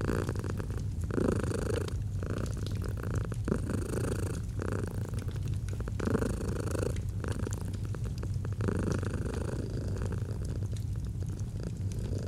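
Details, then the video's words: Gentle purr of a domestic cat near a fireplace, cozy autumn mood; low vibrating rumble pulsing with each breath, cycles of about two seconds, light crackling of burning wood behind. "Fall asleep to the Purring of a Cat & Fireplace"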